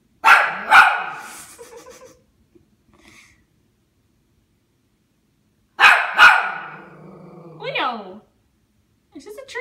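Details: Toy Poodle barking at a Christmas tree indoors: two sharp, high yapping barks in quick succession, a pause filled by a person talking, then another pair of barks, with the person continuing to speak afterwards.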